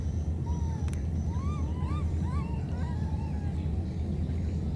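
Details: Wild baby monkeys parted by a flood call to one another with a quick series of high, rising, whistled squeaks that bend upward, carried over a heavy, steady rumble of floodwater.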